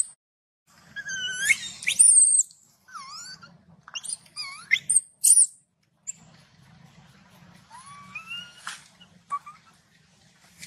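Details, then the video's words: Baby macaque shouting in anger after its mother refused it milk: a burst of high, shrill, bending squeals and whistly cries, loudest early, then thinner rising wails scattered across the rest. "the baby monkey got angry and shouted loudly"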